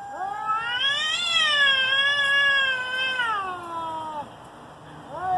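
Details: Pre-fight yowling between two domestic cats: one long, rising then slowly falling wail of nearly four seconds, harsh and tonal, ending abruptly before a fresh howl starts to rise.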